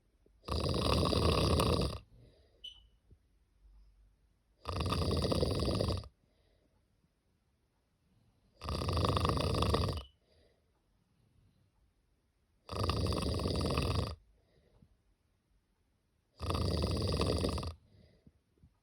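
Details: A cat fast asleep snores loudly and steadily. Five long, harsh, rumbling breaths arrive roughly every four seconds, with near silence between them.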